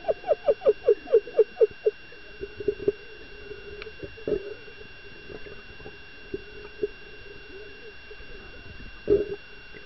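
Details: Dolphin, excited by a female diver, produces a quick run of about a dozen short, falling pulsed calls, then a sustained low tone with scattered clicks and knocks, over a steady electronic hum.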